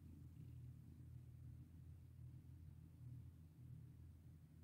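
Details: Domestic cat purring while being petted: a steady, low rumbling drone that runs unbroken for the whole stretch, with no other clear sounds.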